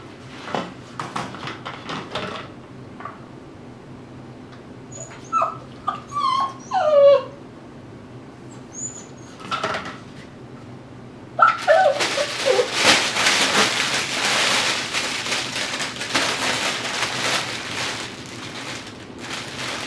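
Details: Dhali, an 8-week-old Tibetan Terrier puppy, playing in his x-pen among toys, chew toys and bully sticks, gives high, wavering whimpers and short yips in bursts, followed by loud rustling and clattering of plastic and toys.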